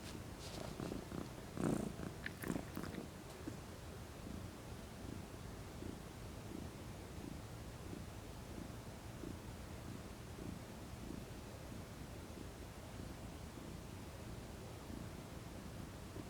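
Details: Domestic cat, a female, purring while lounging relaxed in the sun: a soft, low rumbling purr pulsing steadily, with a few brief louder rustling sounds near the start.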